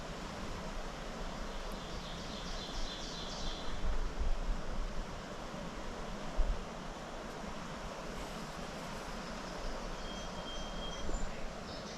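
Low, steady rumbling noise like a passing vehicle or wind, with no animal calls.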